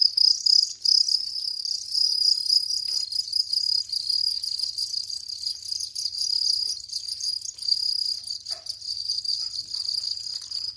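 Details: A house cricket (Gryllus) sings a high, steady trilling chirp that runs almost without pause.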